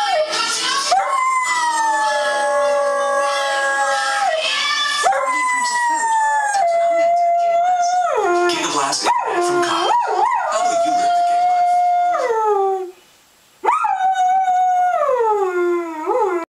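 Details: Female Siberian Husky pet howling along with a TV commercial that sets her off every time it airs: long wavering howls sliding up and down in pitch, often dropping at the ends, a short pause near thirteen seconds, commercial audio underneath.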